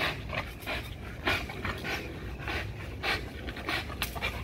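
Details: XL American Bully pitbull panting hard during a heavy-duty spring pole workout, an exercise for neck, legs, jaws and back; breaths come as uneven bursts, about fifty a minute, over steady background hiss.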